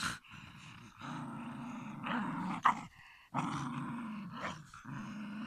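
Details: Shiba Inu producing sustained, throaty growl-whines, a rough low rumble topped by a tonal whining edge, broken by one brief pause and a sharp yip-like spike in the middle.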